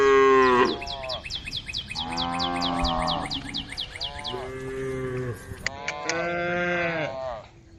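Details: Domestic female cow eating grass leaves, lowing to call her herd: a series of long, deep, harmonic moos, some wavering and rising, with brief gaps between them. A rapid run of high ticking notes sounds during the first calls.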